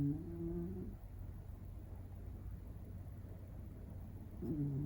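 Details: Shiba Inu puppy under one year old, named Tsukune, asleep indoors and snoring: low, nasal, tonal snores open and close the stretch, separated by a steady low hum in a quiet room.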